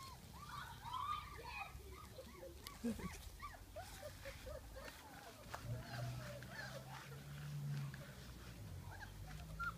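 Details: Three-week-old puppies exploring a garden at Easter 2019 give many short arched whimpers and squeaks, overlapping and busy throughout, with a low steady hum beneath and faint speech.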